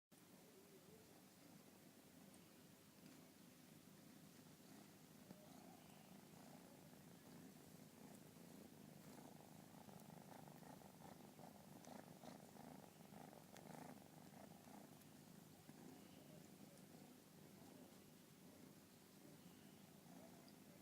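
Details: A kitten purring indoors: a steady low rumbling purr runs unbroken through the whole twenty seconds, soft and even, with faint rhythmic pulsing and light room hiss above it.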